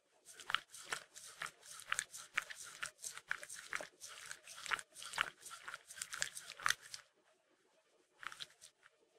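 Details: Mindy, a Shetland Sheepdog, laps at peanut butter with fast, uneven wet clicks for about seven seconds, falls quiet, then adds one last short cluster of licks.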